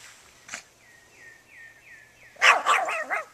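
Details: Dog barking at a lawnmower: after one soft early sound and a series of five short descending chirps in the background, a loud flurry of four rapid, raspy barks closes the moment.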